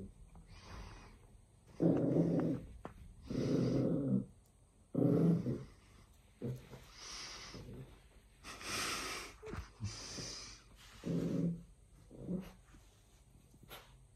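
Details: Dio, a Pembroke Welsh Corgi puppy, playing with a new tennis ball attached to a rope indoors; bursts of snorting, huffing grunts and breathy wheezes come in uneven clusters, some low and throaty, others airy and hissing.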